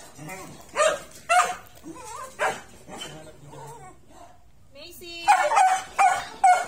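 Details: A Miniature Pinscher meeting an American Bully, several sharp barks and yips in uneven bursts, some high and shrill, with people talking between them.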